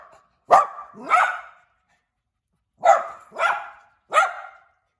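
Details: Cute little dog barking inside a house: five sharp, bright barks, a pair, a pause of about a second, then a quick group of three, with quiet between.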